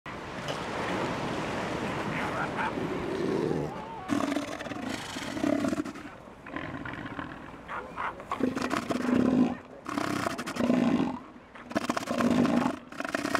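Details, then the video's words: Male elephant seals fighting over land or females. After a noisy, rumbling start, deep pulsed throaty roars come in short bursts about every one and a half seconds, with gaps of quieter background between them. "Elephant Seal Battle"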